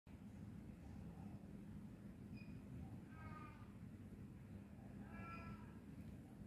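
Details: Chunky cat giving two short, faint meows with clear harmonic tone, one near the middle and one near the end, over a steady low rumbling background noise.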